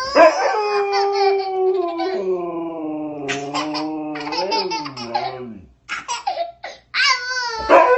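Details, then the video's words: A pet dog howls in answer to a child's howling indoors, long steady tones that dip and wobble, tangled with the child's laughter and high babbling voice near the end. "Dog responds to child's howling"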